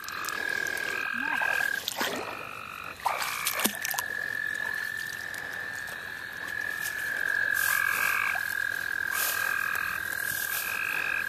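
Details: At St. Olaf College Natural Lands, where frogs are being caught by hand, a frog chorus keeps up a high steady trill with repeated short buzzy calls, broken by clicks, rustling and splashy handling noises.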